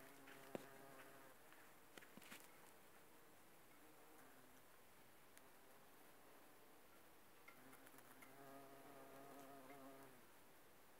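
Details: Bumblebees working aconite flowers: a low, rich droning hum with layered overtones, strong in the opening seconds, dropping away mid-recording, then swelling back near the end, with a few faint clicks.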